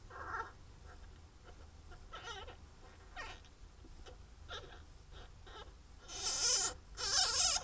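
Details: Captive pine marten kits in their first week after birth, in a breeding programme supporting the species' return to England. Faint, scattered, harmonic whimpering squeaks are followed by two loud, broad rustling bursts near the end.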